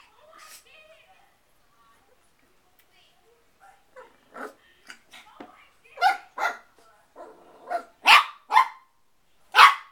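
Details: Bailey, a 4-month-old Shih Tzu puppy, barks at his own reflection in a mirror indoors. Quiet human talk comes first, then sharp yappy barks arrive in an irregular burst, growing louder toward the end.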